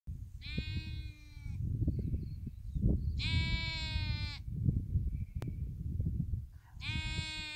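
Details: A lamb with its mother on Waiheke Island, New Zealand, bleats three times, each a high, wavering, nasal 'baa' lasting about a second, over steady wind.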